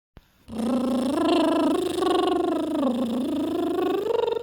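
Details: A pet cat reacting to a weird noise, giving one long, drawn-out wavering yowl that rises and dips in pitch and lasts almost four seconds, recorded indoors.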